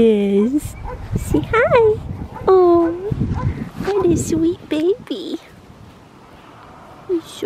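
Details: Black tri male Australian Shepherd puppy, a farm-bred pup, giving high whining whimpers and yips that rise and fall in short bursts, several in a row, while a woman coos and talks sweetly to him.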